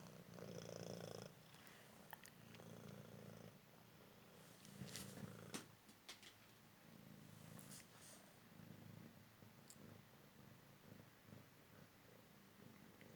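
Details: Recovered street-rescued male Cymric cat during an indoor game of fetch: a steady, low rumbling purr swelling and fading with each breath, with occasional clicks and soft rustling nearby.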